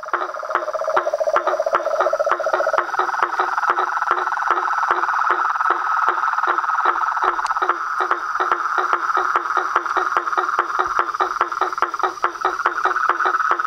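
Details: Nightfall frog and toad chorus at a pond facing a veranda: a continuous pulsed trill holds throughout while rapid knocking calls tick along steadily, and a lower droning trill fades out in the first seconds.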